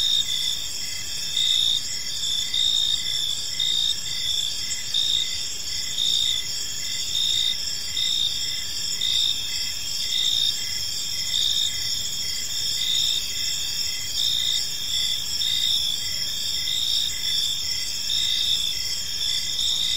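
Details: Crickets chirping in a peaceful park as evening unfolds: a dense, steady high-pitched ringing chorus with brighter pulsed chirps repeating about once a second, layered over one another without pause.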